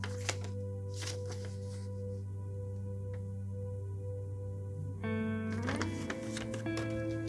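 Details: Steady electronic hum and tones with faint handling clicks, and no animal voice anywhere.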